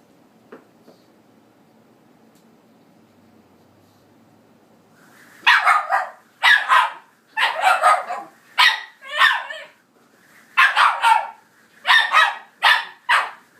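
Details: Excited Shiba Inu barking indoors at a headphone cable spun in the air: quiet at first, then a run of about a dozen loud, harsh barks in pairs and short bursts over eight seconds.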